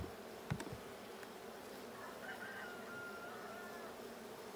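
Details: Steady buzzing drone of a bee colony in a blue hive, recorded during a hive check on 6/20/22, with a sharp knock near the start and a thin whistled tone drifting through the middle.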